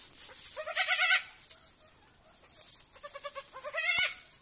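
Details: Young goat kids at a petting farm on their first evening there, two clear tremulous bleats, one near the start and another near the end, separated by quieter calls and a faint hiss.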